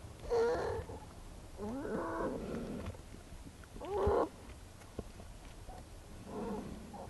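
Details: Wild American black bear mother with her cubs in their den in March, filmed by researchers adjusting a den camera; several short harmonic squealing and moaning bursts around a second long, recurring every couple of seconds over low rumbling background noise.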